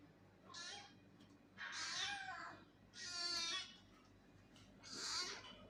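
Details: Angry cat giving four loud, strained meows about one second apart, harsh and wavering with rising-falling pitch, against a faint background hum.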